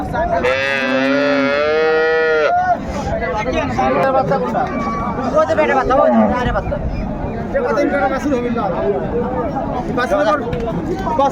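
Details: At Raniganj haat in Dinajpur on 21/1/25, an improved-breed dairy cow or calf gives one loud, two-second moo, strongly harmonic and slightly rising, then the busy market crowd talks and haggles over prices.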